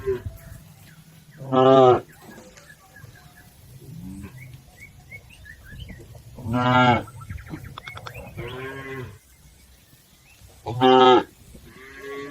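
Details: Herded cattle crossing a river on their way to the farm pen: three loud, harmonically rich moos spaced about five seconds apart, each lasting under a second, with soft background murmur and faint chirps between them.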